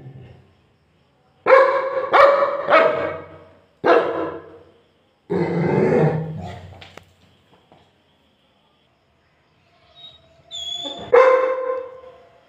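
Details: Angry Labrador dog giving loud, harsh barks in a quick cluster of three, then a single bark, a longer rough growling bark, a quiet pause, and a final bark, with no other clear sounds.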